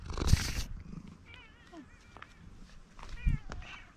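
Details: Female tuxedo cat with a pink nose making soft, wavering chirp-like meows, a short trilled mrap sound, amid handling noises and a person asking if she is hungry.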